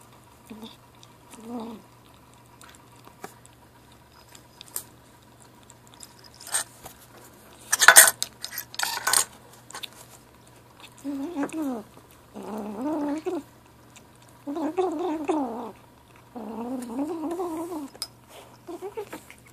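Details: Ashe, a 7-week-old gray kitten, eats and chatters: clattering dishes and a sharp metallic clang first, then a run of wavering, quavering mews in short bursts over the final seconds.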